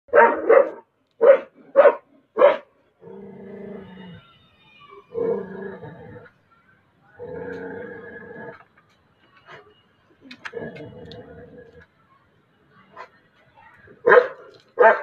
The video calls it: Tibetan mastiff dog barking